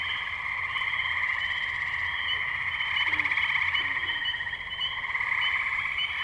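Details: Spring tree frogs calling together in the Firestone Park wetlands, Columbiana, Ohio, May 6, 2023, Zoom H2n recording: a continuous layered high-pitched trilling wall of sound that swells slightly midway, with a couple of faint deeper notes.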